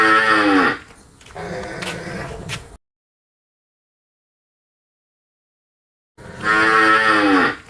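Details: Ending of a cow's soft, low moo with two clicks, then a long silence. A cow in a pen then lets out a fresh, loud, ringing moo that dips in pitch.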